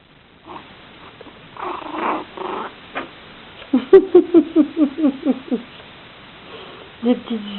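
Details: Six-week-old puppies of the Eva litter, indoors while their mother rests: a quick run of about eight short, rising-falling yelping whimpers packed into two seconds midway, preceded by rustling and soft human voices.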